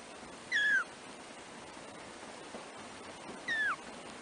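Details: Three-week-old black kittens, one of four in the first-born litter of a cat named Trisya, give two high, thin mews that slide downward, about three seconds apart, over a quiet, steady background hiss.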